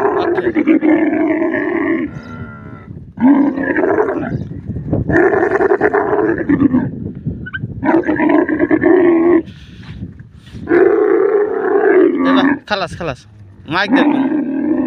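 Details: Desert camel producing repeated harsh, groaning roars in long bursts, with a few short gaps and some faint rattling noises between calls.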